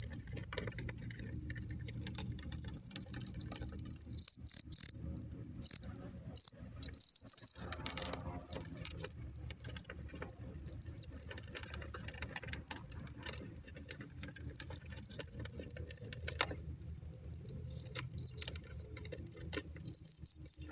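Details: Fighting crickets, a strong sotang cricket facing a crazy one, keep up a dense high-pitched chirping trill for the whole stretch, pulsing rapidly and steadily, with quiet low background rumble.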